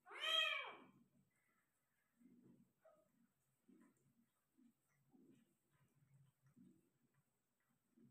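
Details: Single loud, arching meow from a Persian cat during the delivery of five kittens, followed by soft, low, short grunting sounds in a quiet room.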